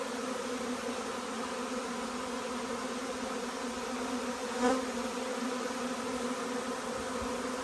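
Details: Huge honey bee swarm arriving, a steady, dense droning hum with layered low tones that holds evenly throughout, and one brief louder buzz swelling near the five-second mark as a bee passes close.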